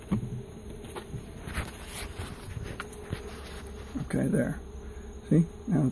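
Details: Loud, close buzzing of a honey bee swarm saved from an elementary school site and rehoused in a new hive; a dense low drone swells and fades, with short louder bursts of buzzing and a few muffled voices late on.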